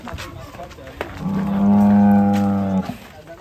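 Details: A sacrificial cow being loaded onto a truck in Indonesia gives a long, steady, low moo of about a second and a half, with faint chatter of people nearby.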